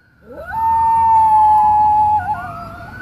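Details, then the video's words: A nine-month-old male Cairn Terrier howls in answer to sirens, sliding up into a long, steady, mournful note. "The Funny Cairn Terrier Who Howls At Sirens"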